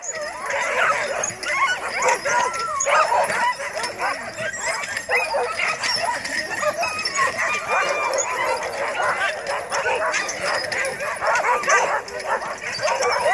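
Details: Alaskan huskies recorded on 9 December 2017; a dense, unbroken chorus of overlapping barks, yips and howling yelps from many dogs at once, loud throughout with no pauses.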